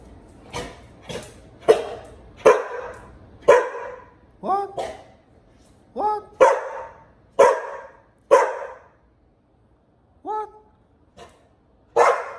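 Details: Pit Bull Bullet is pestered by puppy Liberty. A dense run of about fourteen barks mixes with higher, rising-and-falling yelping cries, spaced roughly one second apart, with a person's voice now and then.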